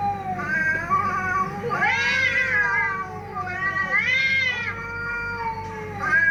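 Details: Fighting cats give long moaning wails that swell into louder rising-and-falling howls about every two seconds, with voices overlapping throughout.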